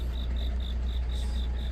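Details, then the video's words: On a deepening autumn night a cricket repeats sharp, high chirps roughly every quarter second in a steady rhythm, above a continuous low hum. "깊어가는 가을밤 🦗귀뚜라미🦗 우는소리"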